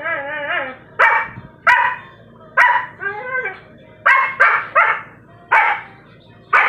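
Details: Siberian Husky puppy giving a run of short, sharp barks mixed with wavering, yodel-like howls that bend up and down in pitch, roughly ten outbursts in under seven seconds, with faint voices in the background.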